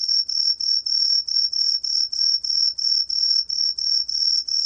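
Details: Continuous throbbing whistle from a green tree cricket, shrill and tonal, pulsing regularly around three beats a second over a faint low background hum.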